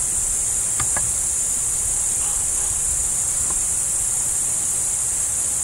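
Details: Crickets chirping near a roe deer: a dense, unbroken high shimmering chorus holds steady throughout, with a couple of faint sharp clicks just before the one-second mark and a low rumble underneath.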